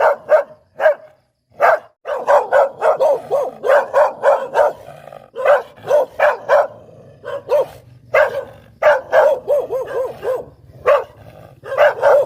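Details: Rapid, nearly continuous barking from a Poodle, loud and sharp with yappy clustered barks and only brief gaps, a low background hum underneath; kept as a sound for teasing.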